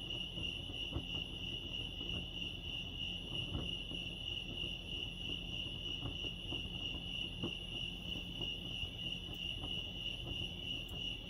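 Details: A chorus of crickets at Lake Arrowhead, California, holds one unbroken high-pitched trill for several seconds. Faint clicks and a low background hum sit underneath.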